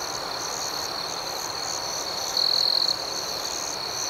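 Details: Crickets calling at night, a soft high-pitched continuous chorus with one nearer insect breaking in midway with a half-second burst of fast, buzzy pulses.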